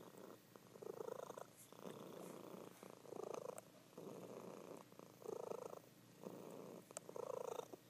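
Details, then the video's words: A sleeping female house cat purrs loudly, in-and-out rumbles pulsing in blocks of about a second separated by brief pauses, with a faint click or two in the background. "Sleeping Cat Purring"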